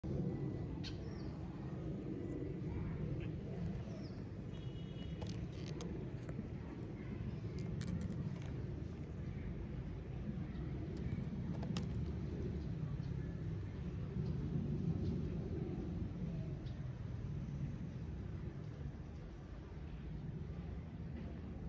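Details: Asian honey bees (Apis cerana), recorded close up at their hive, make a steady, low, droning hum of many wings.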